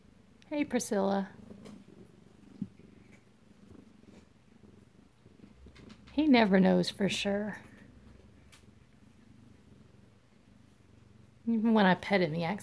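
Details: Close-up of Alabama kittens at home, February 7, 2018: a low, continuous purr hums beneath three short bursts of human speech.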